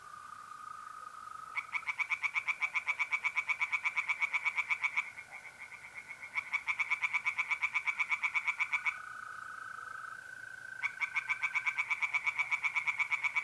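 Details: At a North-East Italian pond on an April night, tree frogs sing in three bursts of rapid, grating pulses separated by short pauses, with mole crickets trilling a continuous even tone between the bouts.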